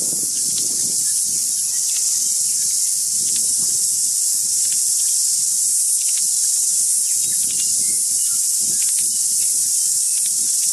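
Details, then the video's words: Loud cicada song from many insects, a constant shrill buzzing band without breaks, with soft low rustling and occasional faint tui whistles in the background. "Crazy cicada song"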